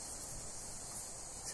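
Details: Greek cicadas in sunshine, a steady shrill buzzing wall of sound, unbroken and even in loudness throughout, like a high electric hiss, with only faint low rumble beneath.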